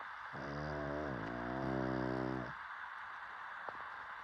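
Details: Sleeping dog giving one long, drawn-out snore lasting about two seconds, a low rattling tone with a slight dip in pitch midway, then quiet hiss.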